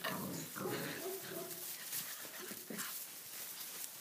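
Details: Six-week-old Tibetan Mastiff puppies playing wildly in a stable for their first time there, with wet weather outside. A rough, grumbling growl and whine with tonal bands comes in dense overlapping bursts, over scuffling and rustling.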